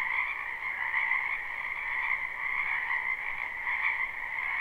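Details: Croaking frogs in a spring wetland, heard in a live recording: dense overlapping trills, with the chorus pulsing roughly once a second in loose, uneven swells.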